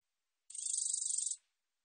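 A black-backed katydid gives one dry, high buzz lasting about a second, made of rapid pulses.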